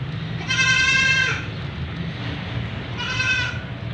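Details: White Persian kitten during a shower giving two long, wavering, bleat-like meows, the first near one second and the second shorter, against the constant rush of water.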